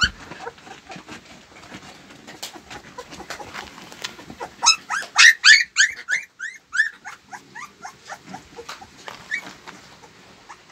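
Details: Husky puppy Molly gives a run of high, whiny whimpers and squeaky yelps, loudest in the middle with rising and falling tones, surrounded by softer clicks and rustling.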